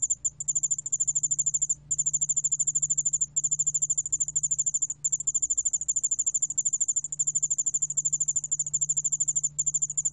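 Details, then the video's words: Korean 여울알락방울벌레 ground cricket, 2020 National Institute of Biological Resources recording, giving a continuous high metallic trill. Fast pulses come in long bursts with a few short breaks, and a quiet low drone sits in the background. "여울알락방울벌레, 여러번 듣기, 곤충소리"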